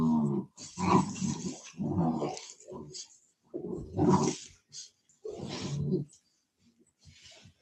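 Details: Cane Corso, an Italian Mastiff kept by a Tennessee breeder, giving deep, throaty roaring growls in about six heavy bursts, each roughly half a second long, with short pauses between.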